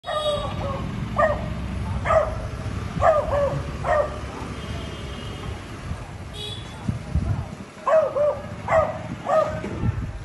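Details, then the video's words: Beagle barking to communicate with a Labrador: short sharp barks in irregular bursts, roughly one per second with gaps, over steady background rumble and some speech. "Beagle dog bark to communicate with Labrador dog"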